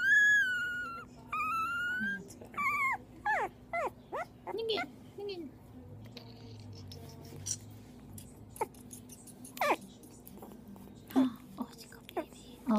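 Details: Fostered two-week-old mixed-breed puppy, at least part Jack Russell terrier, chihuahua and dachshund, crying indoors before bottle feeding. A run of high, bending whimpers and squeals repeats every second or so, then thins to scattered yelps over faint room noise.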